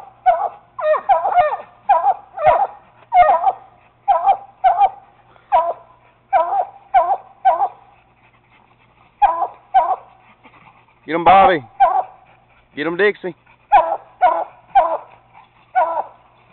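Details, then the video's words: Caged raccoon being treed by a young Treeing Walker Coonhound and a Bluetick. Long series of sharp chop barks in bursts, broken by two drawn-out wavering bawls, then the quick barking resumes. "my walker pup treeing on a cage coon"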